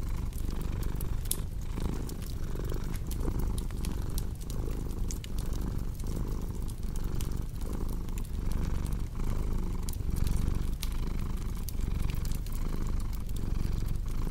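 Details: Domestic cat purring beside a crackling fireplace, mixed as a relaxing sleep soundscape: a continuous low rumble swelling and easing in steady breath cycles, overlaid by sharp scattered pops and crackles of burning wood.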